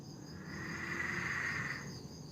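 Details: Peron's tree frog calling at night in a backyard in Sydney, Australia: one steady, buzzy, trilling note in the upper-mid range, lasting about a second, swelling and then fading, over a faint low background hum.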